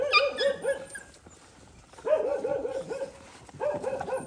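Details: Stray mother dog on a farm in Cambodia, guarding her puppy and threatening to bite as food is given to it; high, arched yelping whines in three rapid bursts, several notes each, with brief quiet gaps between.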